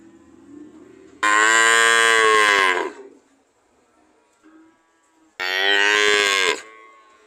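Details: Two strong, harmonic cow moos, the first about one and a half seconds and the second slightly shorter, separated by a few seconds of near silence.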